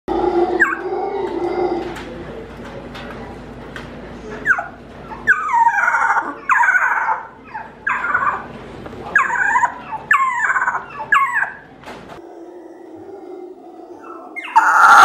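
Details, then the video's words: A rescued juvenile male howler monkey, just learning to howl, gives a run of thin, whiny, wavering cries, far higher than an adult's roar; he later became alpha with the loudest howl. "Infant Howler Monkey Learns to Howl and Grows Up to be Alpha"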